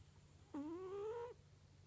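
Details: Single whistling snore from a sleeping domestic cat, a smooth tonal "puu" lasting under a second and gently rising in pitch, with faint low hum behind.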